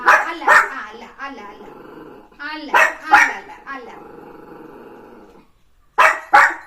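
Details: Pet puppy in the morning, playing with its owner: paired sharp barks, drawn-out whiny growling tones between them, a woman talking to it in Malayalam, then two more barks after a pause.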